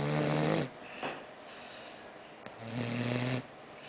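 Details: Croqueta the dog asleep and snoring, two low buzzing harmonic snores separated by a quiet pause with a faint click, the first louder and the second steadier.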